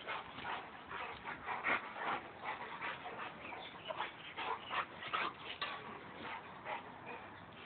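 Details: Boxer and Labrador mud-wrestling in play, giving fast, uneven bursts of breathy panting with brief high whines and yips, plus constant wet scuffling.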